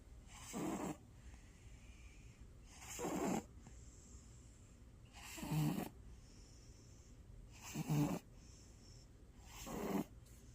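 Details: Sleeping black cat snoring: five rough, breathy snores roughly every two to two and a half seconds, each about half a second long, with quiet pauses between and a faint high hiss in the background.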